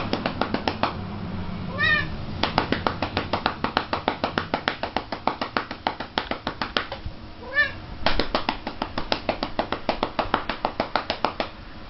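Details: Female house cat being spanked indoors, giving two short rising-falling meows amid a steady run of rapid slapping pats, roughly three or four per second, that fill most of the recording.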